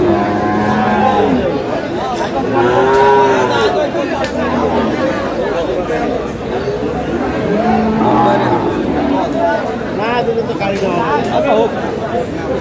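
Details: Dairy cattle at Aftabganj market, Dinajpur, on 1/8/26, among improved-breed cows and calves; repeated short and long moos from several animals rise above constant market chatter and voices.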